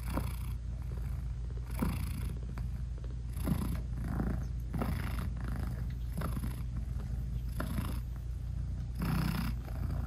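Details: British Shorthair mother cat lying with her newborn kittens as they nurse, purring continuously; a deep rolling drone with gentle rhythmic inhale-exhale swells repeating about every two seconds, quiet room.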